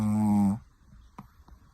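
A Pekingese gives one loud, buzzy snore with a low, droning hum.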